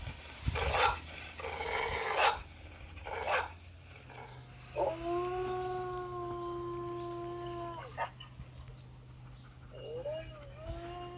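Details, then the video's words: Zara, a black-saddled German Shepherd, hearing recorded dog barking and howling: several strong barks in the first few seconds, then a long steady tonal howl with a low hum underneath. "Reação de um cachorro ao ouvir sons estranhos 😂 [Latidos]"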